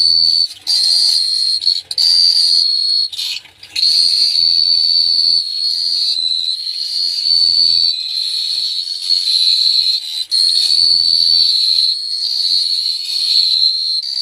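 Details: Long, rhythmic cricket chirping at night in Phteah Prey: a sustained shrill trill at one high pitch, nearly continuous with a few short breaks early on, plus a faint low hum.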